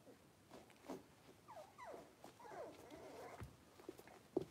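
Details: Blenheim Cavalier King Charles Spaniel puppies, a litter of five born at New Year, in their new big pen: thin wavering whines that rise and fall in pitch, overlapping, with soft thumps and rustling around them.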